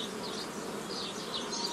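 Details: Short stretch of constant honey bee hum from old-style nucleus colony formation using a forager swarm, 15 May 2018, with faint high twittering above the drone.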